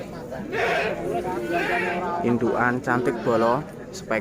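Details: Bligon–Jawa Randu cross breeding goats, males and females kept as stock in Java, Indonesia; a few quavering, wavering bleats rise over steady nearby Javanese and Indonesian speech.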